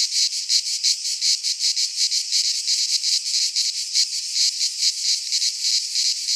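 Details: In a Greek pine forest in midsummer, cicadas keep up a piercing, grating buzz broken into fast pulses about three per second, steady in loudness, with no other noises.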